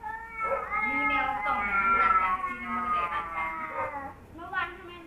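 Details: Kaopat and Ronja, two male cats who never got along, in a drawn-out low, moaning growl-yowl that wavers steadily for several seconds, followed by a brief sharper wail at the end.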